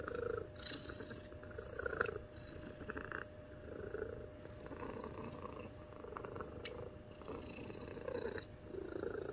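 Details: A white, spayed mixed-breed pet cat named Omame, crossed from American Shorthair and Golden Chinchilla, purrs steadily indoors; a low buzzing rumble pulses in waves about every two seconds, with faint clicks and rustles.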